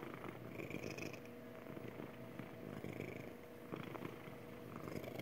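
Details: Steady, motor-like purring from Magic, a happy domestic cat, the low rumble holding an even level throughout with faint soft background noise.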